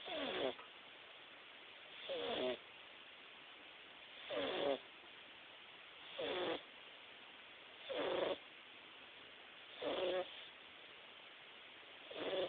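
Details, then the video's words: Himalayan cat snoring while napping indoors; seven raspy, breathy snores, each about half a second long and spaced roughly every two seconds, with quiet between them. "the snoring Himalayan Kitty"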